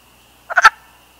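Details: A single short, hoarse clucking croak from a wild Canadian wood frog in breeding season, broken into three rapid pulses, with a faint steady high-pitched whine in the background.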